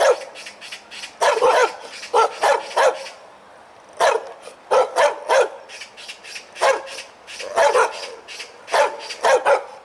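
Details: Loud dog barks from a tail-wagging dog, delivered in rapid bunches of three or four sharp barks with brief pauses, trailed by faint echoes.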